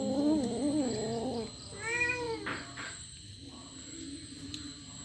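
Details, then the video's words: Kitten eating a rat, giving a funny sound: a wavering meow with stacked harmonics over the first second and a half, then a short rising-falling cry near two seconds, with background hum and a voice afterwards. "Kitten eating Rat with a funny sound."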